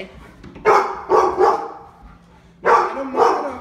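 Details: Labrador Retrievers Lola, Dale and Max, indoor pet dogs in Omaha, barking at the door during a behaviour training session; a cluster of three sharp barks, a pause, then two more loud barks.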